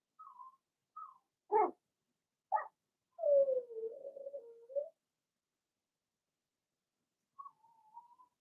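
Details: Blenheim Cavalier King Charles Spaniel puppies from Remy's first litter of six in a puppy pen: short high whimpers, two sharp yips, then a long wavering howl-like whine falling and rising, a thin whimper returning after a pause.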